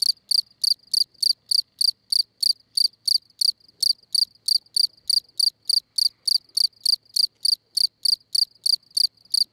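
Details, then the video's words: Chirping field cricket at La Brenne in France, recorded 20 May; a steady run of bright, high, short pulsed chirps about three to four each second, with one brief pause, and near silence beneath. "Field Cricket at La Brenne (France)"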